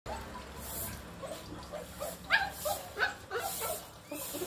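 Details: Puppy playing with a broomstick, giving short high yips and barks in a loose burst around the middle and end, over a steady low hum with rustling in between.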